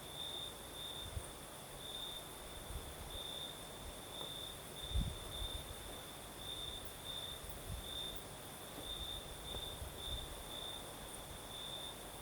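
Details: Southern Crimea after dark, crickets keeping up a steady high trill with regular brighter pulses, over the hiss of a night breeze, with low dull thumps and rumbles scattered through, one louder knock near the middle.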